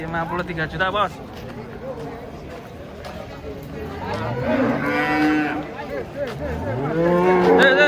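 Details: Large cattle coming down off a truck, lowing in deep moos that swoop upward and hold, two main calls separated by a few seconds, with voices and a steady low rumble in the background.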